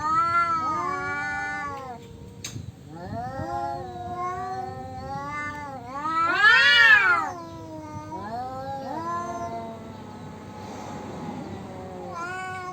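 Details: Male domestic cats yowling at each other in a fight over territory; long wavering, drawn-out wails rise and fall, with a louder, sharply arched howl midway and a quieter, strained moan near the end.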